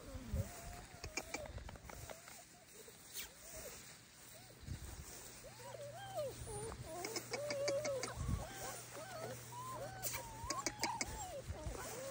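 Bernese Mountain Dog puppies whimper in a busy chorus of thin, arching whines that rise and fall.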